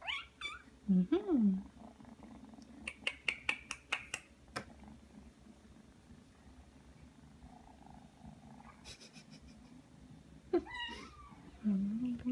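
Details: Three-month-old Ragdoll kitten kneading and suckling after coming when called indoors. Short wavering meows open and close the stretch, with a run of sharp clicking sounds and soft background noise between them.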